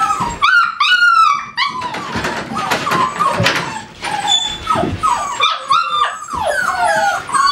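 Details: Kennel-kept American Staffordshire Terriers yip and whine. Sharp, high squeaks come in clusters, mixed with longer sliding whimpers and some rustling.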